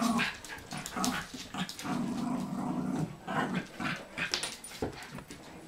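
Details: Bichon Frise dogs Blanca, Teddy, Hope and Pretty playing noisily, with rumbling growls and short yips in uneven bursts, the loudest near the start and middle of the stretch.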